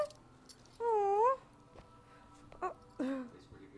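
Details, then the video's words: A Doberman guards his bone from a chasing pit/boxer/lab mix foster puppy inside a house. A clear, drawn-out tonal whine bends down then up, followed by a shorter falling whimper, with a person speaking softly around it. "Doberman keeping bone away from puppy"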